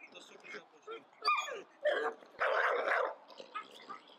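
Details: Male American Staffordshire Terrier, tense and aggressive at the sight of another male dog, gives a few harsh, noisy barks and growly bursts, the loudest near the middle, while a man speaks French over it.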